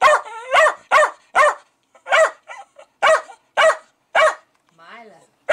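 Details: Pet Jack Russell Terrier going crazy over fermenting beer, possibly at bubbles or released CO2: sharp repeated barks about every half second, with one whining yelp, and a man's voice asking what is wrong.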